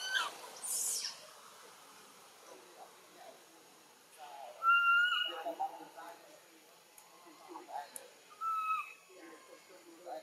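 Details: Young macaque Button cries after being bitten by Cara, Siem Reap Province. Bright high squeak at the start, then two sustained tonal wails near the middle and end. Murmuring voices and scuffling sounds are mixed in.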